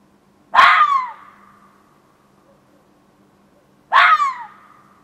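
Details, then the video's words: A back-yard fox calls at night around 1:15 am on 27 June 2013. Two rasping, explosive screams come roughly three seconds apart, each fading into a drawn-out tail over a steady low hum. "Fox Calling"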